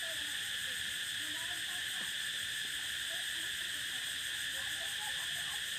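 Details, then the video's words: A prairie cicada chorus forms a constant ringing hiss of several high tones, steady from start to finish, with faint low background noise. "Explore the prairie sound of cicada"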